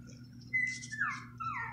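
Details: Shih Tzu puppies, one of a litter of six, around two and a half weeks old after their mother stopped nursing; thin high squeals slide downward in two short cries over a steady low indoor hum.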